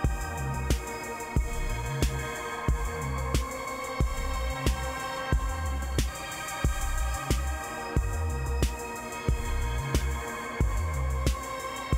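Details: A hip hop beat with regular drum hits and a heavy bass line fills the recording; no animal sound is present.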